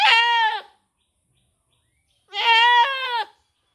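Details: A goat gives two loud, nasal bleats, the second longer and wavering.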